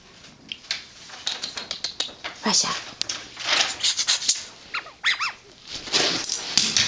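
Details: Dogs Riley and Raja playing indoors, with high arched whimpering squeals around five seconds, scattered short yelps, and a background of scuffling, clicks and patter throughout.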